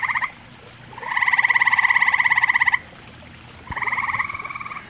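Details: Grey tree frog calling at a pond where common toads also live. A short trill is followed by a long, rapid, pulsed trill of about two seconds, then another trill begins after a pause.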